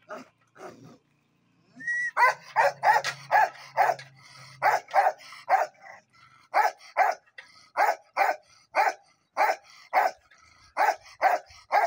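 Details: Bakarwal dog, also called Gaddi dog, barking in a steady run of deep, loud barks, roughly two per second for about ten seconds, after a few softer barks and a short human whistle near the start.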